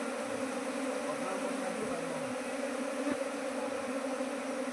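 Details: Kept honey bees at a Nepali apiary that grew from one hive to nineteen in two months; a steady, droning hum with layered low tones holds evenly throughout, and a faint thump sounds near the end.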